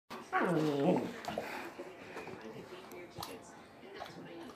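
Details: German Shepherd play session: Kaiser, a nearly three-year-old anxious German Shepherd, plays tug of war with puppy Duke indoors; one drawn-out, wavering whine-like vocal falls in pitch over about a second, followed by quiet rustling and soft thumps.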